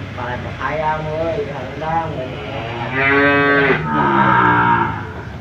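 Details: Cattle offered for sale at Jonggol animal market moo repeatedly, with a run of short wavering bellows followed by two louder, longer calls near the end. Constant low crowd and engine noise fills the background.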